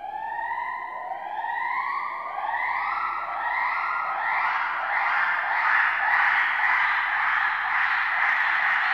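A gibbon calls in the distance, with whistled notes that climb in steps and speed up.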